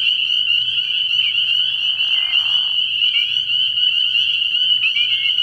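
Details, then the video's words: Massed spring peepers at a nighttime frog pond in early spring: a steady high shrill chorus with several individual upslurred peeps standing out, and a short soft hiss in the middle. "Tree Frog Sounds"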